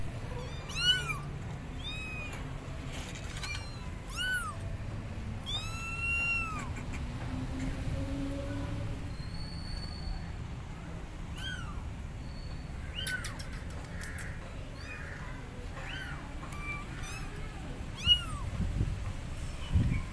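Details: Loud meowing from abandoned kittens on a gate calling for their mother cat; a burst of quick, arching high cries early, then sparser meows and quieter stretches with low background noise.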